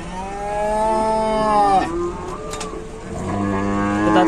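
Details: Rescue of a stuck, downed cow in Indonesia. A rich, drawn-out moo bends downward after nearly two seconds, and a brief clatter follows. Another sustained low moo begins a second later.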